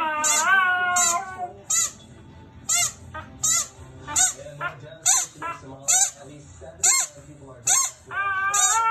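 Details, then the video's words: Luna, a Husky-Samoyed mix, howls at a squeaky toy: a wavering harmonic howl opens and closes the moment, with sharp, high toy squeaks repeating roughly once a second between. "Samsky Husky-Samoyed Talking & Howling At Squeaky Toy"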